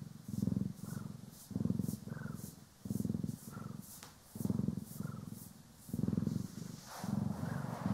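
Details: Domestic cats Poki and Kiwi purring during brushing and grooming, stereo recording; deep throbbing purr in bursts around every 1.1 seconds separated by quieter gaps, with brief soft higher squeaks and light brushing texture.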